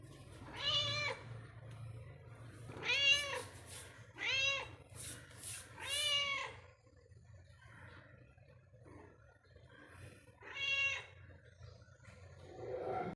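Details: Pet cat moving about inside the house meows repeatedly: four strong arched meows in the first six seconds, a pause, then one more near eleven seconds, with low room hum throughout.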